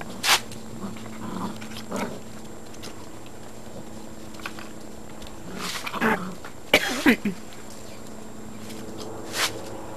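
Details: Great Dane puppies aged 52 to 56 days, from litters O and N at a breeding kennel in Italy, give short high yelps and whining cries, clustered around the middle of the recording, with scattered clicks and a steady low indoor hum.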